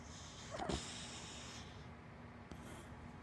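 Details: Hana, a big black dachshund and black Labrador mix, asleep and snoring: one low, rough snort partway through, followed by soft, quiet breathing over a steady room hiss.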